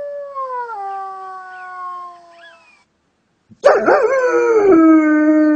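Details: Dog reacting to various sounds: a long, steady tone stepping down in pitch fades out, a short silence follows, then a sudden harsh burst opens into a loud, wavering, rich howl that slides downward and holds.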